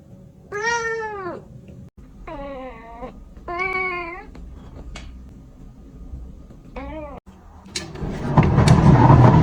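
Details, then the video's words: Kitten meowing, said to attract cats: four clear harmonic meows, the first rising then falling, followed by a short fainter mew near seven seconds; rustling noise builds at the end. "Kitten meowing to attract cats"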